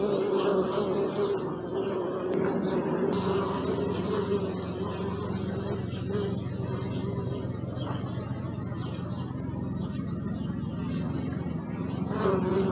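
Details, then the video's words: A continuous bee hum, recorded with a Sony Alpha 6000 camera: a thick, even drone holding steady for the whole stretch, with faint chirps and a brief rustle near the end. "Bee sound"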